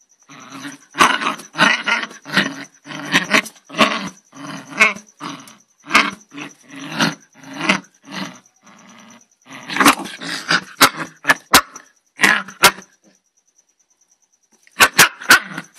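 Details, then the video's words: Angry dog growling and barking hard in dense rasping bursts for about ten seconds, then a few sharp single barks, a long pause, and a final short flurry. A faint constant high tone lies beneath. "angry DOG"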